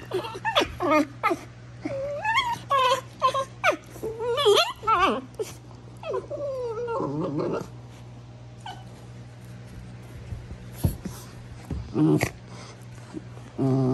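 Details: Female Basenji acting tough with wild-dog-style squeals: warbling, bending yodel-like whines and yelps in the first half, then quieter scattered sounds and short yips, over a constant low hum.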